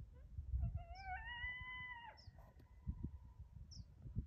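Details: Single sustained howl from a coyote facing a deer, climbing briefly and then holding a level tone for about a second before breaking off, with faint short chirps and low background rumble.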